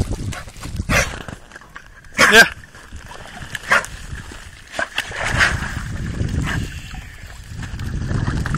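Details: Labrador Retriever named Al, swimming and fond of the water; a few short, sharp barks stand out near the first, second and fourth seconds over splashing and low background rumble, with a voice faintly present.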